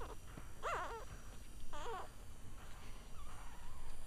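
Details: Cavalier King Charles Spaniel puppies one week old give two short, wobbling whimpers in quick succession, each wavering up and down in pitch, followed by a fainter thin whine near the end amid soft background hiss.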